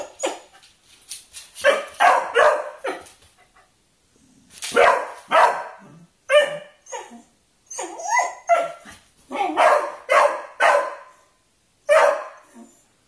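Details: Beagle eager to play with a Kerry Blue Terrier, giving rapid clusters of harsh barks and higher yips, several volleys separated by brief silences across the recording.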